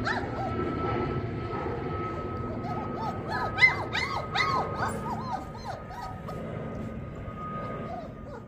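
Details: A white German Shepherd puppy gives a quick run of high, whining yips, clustered in the middle and fading out. A steady hum and faint music run underneath, and a voice speaks just before.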